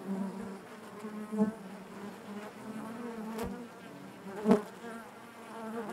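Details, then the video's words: Inside a honey bee hive, the colony's natural buzzing forms a continuous low drone with layered harmonics, broken by two sharp, brief surges as single bees brush nearby around one and a half and four and a half seconds. "bees therapy hive natural buzzing sound"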